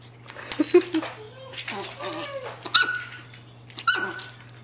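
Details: Two young female long-coat Chihuahua puppies playing together indoors, giving short, sharp, high-pitched yips and squeaks between softer play sounds, with a woman talking to them in a small room.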